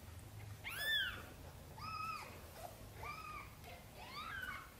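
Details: A mother cat meows softly, asking for help to bring her tiny kittens into the nest; four short meows come about a second apart, the first the loudest, over a faint low background hum.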